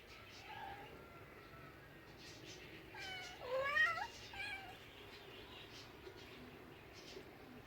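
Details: A cat gives a drawn-out, wavering meow in the middle, rising then falling with rich harmonics, set against a faint hiss and a quiet murmur.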